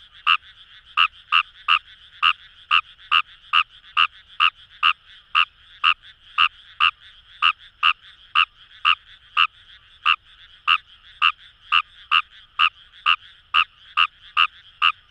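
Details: Rapid run of clipped, rasping croaks from Fejervarya kawamurai in rice paddies of Itoshima, Fukuoka, Japan, by the Kamo River, about two per second, with a dense background chorus of more frogs.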